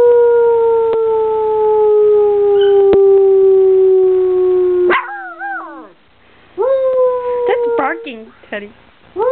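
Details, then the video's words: Puppy howling coyote-style: one long drawn-out falling howl, then a quieter stretch of short wavering yips and broken howl fragments rising and dipping in quick succession. "Teddy Bear Howls"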